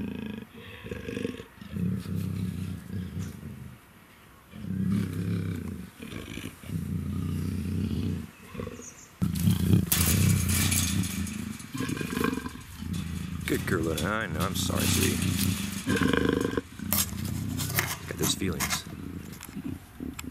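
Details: In her first heat, Luna, a female black African leopard kept at the Cheetah Experience breeding center, growls and snarls in low pulsing bouts, growing louder and harsher after a pause near the middle.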